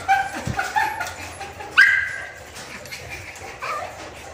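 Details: Chihuahuas, an adult male and female in Bangalore, India, letting out short, tonal, high-pitched barks, with one loud clear yap near the middle and softer yips around it, set against steady background clatter.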